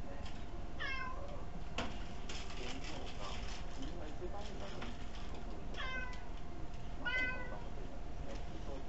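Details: Kuri-tan, a house cat, asks for food while sitting properly on a chair, caught on an ultra-small camera; several drawn-out harmonic meows near 1, 6 and 7 seconds, with faint room noise and a low constant hum.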